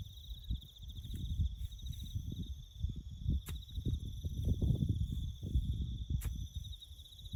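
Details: A farm bush setting during road-building work, with crickets keeping up a continuous high, rapidly pulsing trill in layered bands, while heavy low rustling and knocking from the work fill the foreground.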